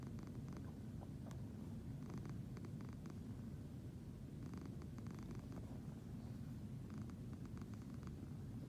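A Siamese cat purrs steadily, a low continuous rumble with soft rhythmic pulses.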